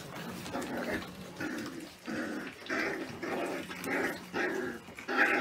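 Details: Caucasian Shepherd Dog (Caucasian Ovcharka) puppies, young litter indoors: rhythmic series of whimpering, growly vocal bursts, roughly one per second, with a faint steady hum underneath.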